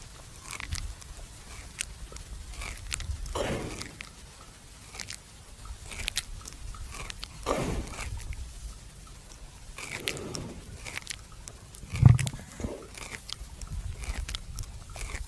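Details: A buffalo lying at rest at noon in a farmer's field chews its cud, with steady crunching and grinding and soft, low, wet mouth sounds.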